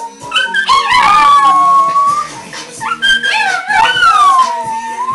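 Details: A Chihuahua and a Dachshund howl together in long, wavering, sliding tones over the song "Apple Bottom Jeans." They do this every time it plays, and the owner guesses its frequency sets them off.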